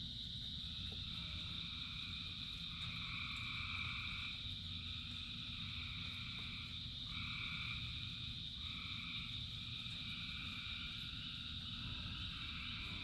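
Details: Thousands of frogs calling in the rain, a continuous high droning chorus with overlapping trilled phrases that rise and fall every second or two, backed by constant low rain noise.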